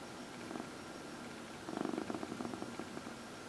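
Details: Housecat purring as it is massaged; a brief faint purr, then a stronger pulsing burst in the second half with a rapid ticking texture, quiet room hum behind.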